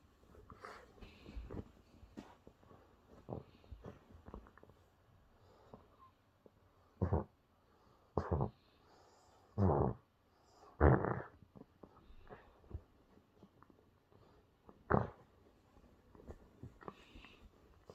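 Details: Toy Terrier Busya digging a hole into a blanket and wanting attention, making snorting, huffing sounds: scattered soft scratching and sniffs, then several loud short snorts about a second apart, muffled by the fabric.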